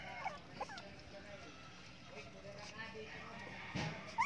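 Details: Cocker Spaniel x Lhasa Apso cross puppies, between one day and one month old, give short, thin rising whimpers and yips amid a human voice, with chicken-like clucking in the background.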